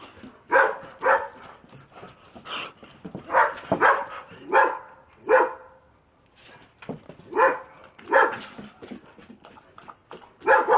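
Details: Two Dobermanns acting crazy; short barks and yips come in irregular clusters of two or three, with a quieter lull around the middle before the excited barking resumes.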